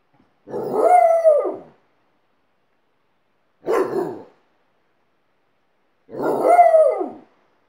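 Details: Howling Alaskan Malamute, teaching a second dog to howl: three short, separate howls about a second each, spaced roughly every two to three seconds, the middle one briefer and rougher.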